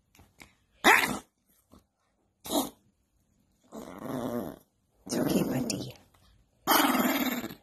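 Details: Angry pet dog indoors in a small room: short snaps, then long rumbling growls lasting about a second each, rising into harsh snarling barks, while a person softly reassures the dog between outbursts.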